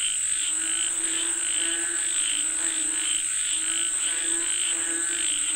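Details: A chorus of frogs calling for rain, overlapping croaks swelling and fading in waves every second or so, with a constant shrill whine in the background.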